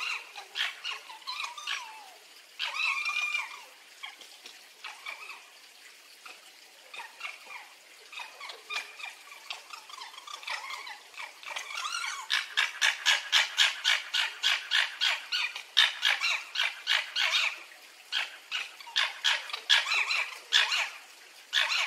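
A fox gives high, whining squeaks, then a fast run of sharp, repeated yelps.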